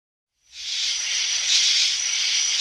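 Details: Insects in a field: after half a second of silence, a dense, continuous high-pitched hissing drone rises in and holds steady, swelling slightly midway, with no other sounds.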